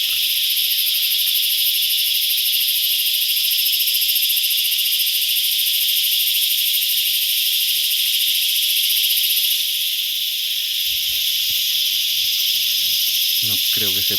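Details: Loud cicada chorus from insects flying in swarms over wooded hill country, noisy enough to make hunting hard; a steady, dense, high hissing buzz holds without a break for the whole stretch, and a few low thumps and handling noises come near the end.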